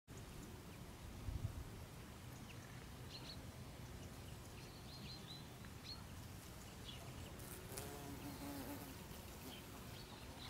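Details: Bees feeding at the white bell-shaped autumn blossoms of a strawberry tree in a garden. A low, steady humming drone runs throughout and thickens in the later seconds, with thin high bird chirps scattered above.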